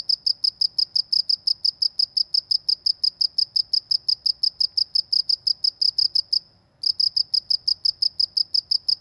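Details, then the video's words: Village cricket calling with a steady stream of high, sharp chirps, around five per second, broken by one short silence late in the sequence; faint low hum beneath. "suara jangkrik di pedesaan"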